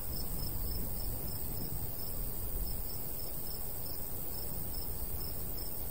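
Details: High cricket chirps recur at a steady pace across a summer countryside wheat field, layered over a dense low wind rumble from the light breeze.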